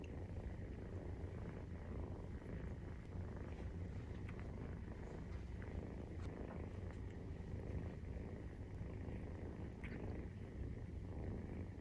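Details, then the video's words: Maine Coon cat family purring while nursing, kittens 43 days old: a steady, low rumbling purr, dense and continuous without pause, with faint soft rustles above. "授乳時のゴロゴロ 生後43日目【メインクーン動画】"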